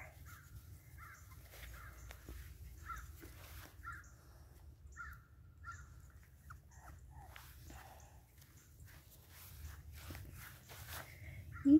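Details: A litter of Boston Terrier puppies gives thin, high squeaks in a steady series, roughly one every half second to a second. Faint low rumble runs underneath.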